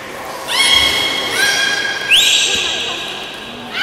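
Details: Beluga at Port of Nagoya Public Aquarium in a 13:30 public training session, 18 July 2016: two steady high whistles with rich overtones, then a sharply rising upsweep, against faint indoor background noise.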